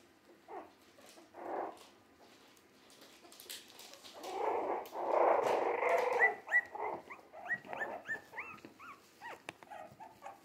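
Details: Jack Russell Terrier mix puppies, three weeks old and already on the move, whine and squeal: a low rough murmur swells into loud overlapping cries, then breaks into rapid upturned yelps, about three per second.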